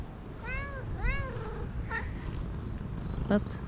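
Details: Stray cat in a park, one of several that approach while another is being petted, meowing twice in quick succession, each meow a short arched cry, then a softer chirp and a brief click, over outdoor background noise and nearby talking.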